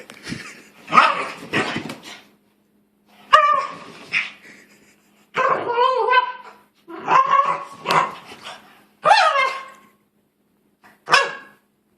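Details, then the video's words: Pet dog vocalising in protest at being put in a new sweater: irregular bursts of whiny, wavering yelps and groans, rising and falling in pitch, about six outbursts over twelve seconds with short silences between. "Funny Dog Makes Weird Noises"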